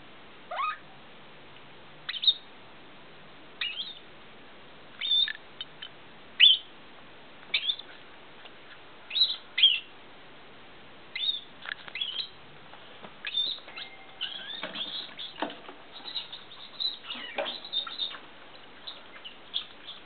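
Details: Squirrel hiccuping after sucking: short, high squeaky clicks with faint upward sweeps, spaced irregularly about one to two seconds apart against a quiet background.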